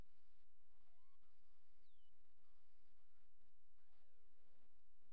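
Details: Coyote pups, all males, young enough to have just begun walking and opening their eyes, give thin high whines and squeaks that rise and sweep downward in short overlapping bursts, over a steady low rumble.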